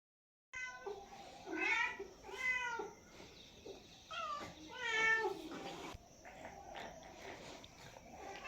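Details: Domestic cat meowing in a series of four drawn-out, tonal meows, each rising and then falling in pitch, spaced about a second apart, with quieter gaps between them.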